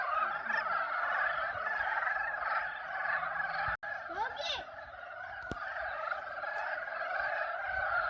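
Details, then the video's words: A dense spring chorus of frogs giving mating calls at an arboretum pond, a steady trilling din rising and falling without pause. "개구리 짝짓기 울음소리(율곡 수목원 연못) Frog mating calls (Yulgok Arboretum Pond)"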